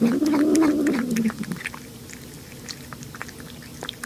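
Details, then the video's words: Domestic cat or kitten vocalising while eating, making a 'yum yum' or 'nom nom' sound: a low, wavering, humming meow lasting just over a second, then quiet chewing and small clicks indoors. "面白い猫と子猫を食べながら鳴きながらYUM YUM YUMを言って"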